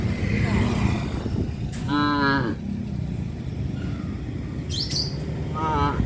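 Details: Tame village cows roaming a highway beside a traditional farm: a strong, rich moo near two seconds and a shorter one near the end, a single bird chirp between them, and low traffic rumble throughout.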